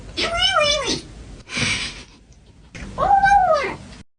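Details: Domestic cat making strange meows: two arching, wavering meows that rise then fall, separated by a breathy noisy burst and a short quiet gap, recorded indoors.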